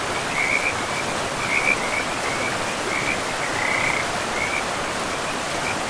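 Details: Frogs call from the banks of a forest river in short, high trilled bursts about once a second, some brief and some drawn out. Steady rushing water fills the background.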